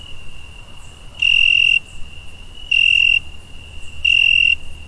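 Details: A cricket gives bright, pure-toned chirps about every second and a half over a faint steady trill at night.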